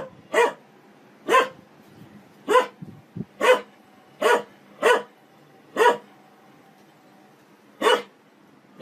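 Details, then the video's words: Single dog from a humorous barking compilation, sharp clipped barks repeated about once a second in a steady series, quiet room tone between them. "Most funny dog barking videos compilation"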